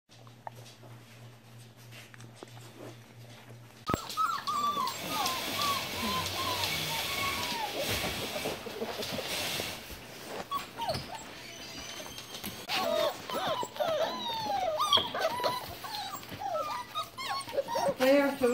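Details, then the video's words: Standard Poodle puppies four to five weeks old, a litter newly introduced to their litterbox, giving a busy chorus of high squeaky whimpers and yelps that starts after about four seconds of quiet hum, with rising and falling pitch. "AKC Standard Poodle Puppies Week 4"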